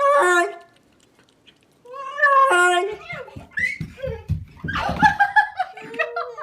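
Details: Cat making weird meows, wanting something: two drawn-out, harmonic meows that bend downward at the end, separated by a second of silence, followed by people talking and laughing indoors.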